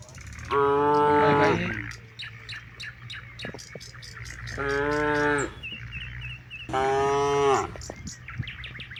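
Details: Herd of hundreds of cattle grazing in rice paddies toward evening, one cow calling the others to head home: three strong moos, each roughly a second long and slightly falling at the end, spaced several seconds apart, with bird calls throughout.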